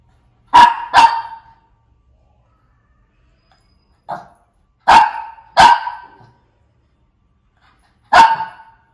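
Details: Barking Shih Tzu: a quick double bark, a single faint yap, another close pair, then one last sharp bark, separated by silent pauses of a few seconds.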